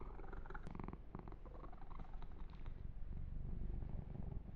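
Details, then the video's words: Young cat Yumak purring during a massage session: a close, low, throbbing purr running throughout, with a cluster of crisp rustling and smacking touches early on before the purr carries alone. "Kitten Massage - Perfect Sleep Helper Ear to Ear Purring"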